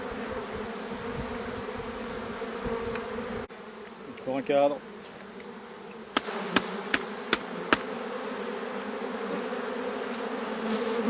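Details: Drone-laying honey bee colony whose frames are shaken some fifty metres from the apiary; a continuous droning hum that drops abruptly in level partway, a brief human voice, then several sharp knocks over the ongoing buzz.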